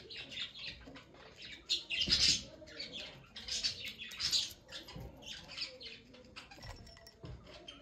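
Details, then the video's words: Shrill, chirping squeaks from a small guinea pig come in clustered bursts, the strongest at about two and four seconds, with quieter rustling in between. "Chota Guinea pig"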